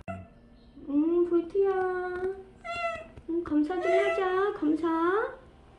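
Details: Stray cat Bolt, filmed near the end of its year and five months with a family, gives a run of repeated meows indoors, some level and some bending upward at the end, in a small quiet room.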